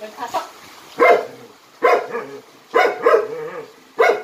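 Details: Jindo dog in Jindo County doing jump-rope tricks, giving short harsh barks about once a second, some doubled, with a faint voice in the background.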